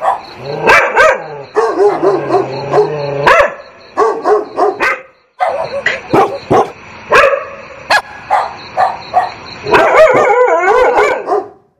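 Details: Several dogs bark and yelp in dense, excited volleys, harmonic barks of mixed pitch with a low growl-like drone early on, short pauses, then a final flurry of high yips; used for training dogs not to react to barking.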